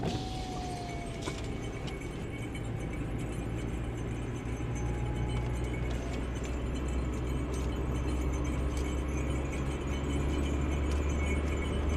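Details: A steady low engine hum from inside a car runs throughout, with a brief faint tone near the start and light rattles; no barking or other animal calls are heard.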